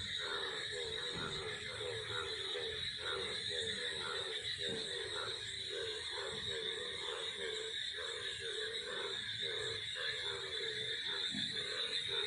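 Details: Rainy weather in Lucknow with frogs croaking incessantly: rapid, regular pulsed croaks forming a chorus, layered under a constant shrill cicada drone that fills the upper range.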